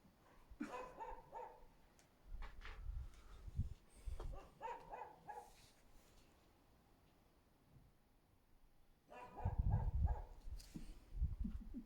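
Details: A husky barks in short, gruff bursts under a window, pausing between volleys, somewhat distant, possibly at a fence about 35 metres away; 24 February 2024, Hungary.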